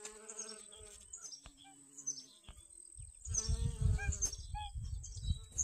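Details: Honey bees collecting pollen from sunflowers in a garden on August 25th 2021: a steady, low buzz with stacked overtones, broken by faint high chirps and, in the second half, rumbling wind or handling noise.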